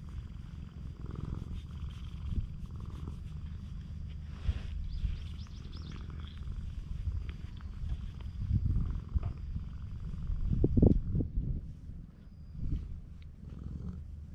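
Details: Affectionate stray cats on a cat island, filmed with a GoPro HERO8: a steady, low rumbling purr runs through the whole stretch, broken by a few louder rustling bursts around the middle and near the end.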